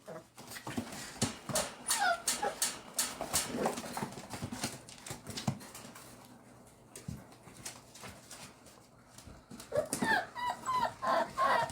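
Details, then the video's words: American Bully puppies playing indoors in Oklahoma: a busy run of short whimpers and yelps with scuffling clicks, a quieter stretch midway, then a fresh burst of high whining cries near the end. "All The Puppies Play"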